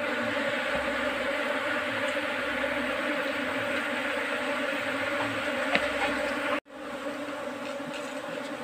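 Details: Bee colony occupying a trap box set for beekeeping. A thick, constant buzzing hum with bright upper tones cuts out sharply for a moment near the end, then resumes slightly quieter.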